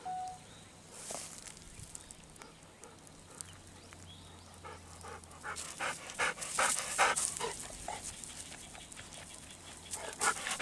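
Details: A Golden Retriever is in a rice field on a hot day. It has just played in a river and is happily rolling in rice-husk ash. Quick, breathy panting of about two and a half breaths a second grows louder, with rustling.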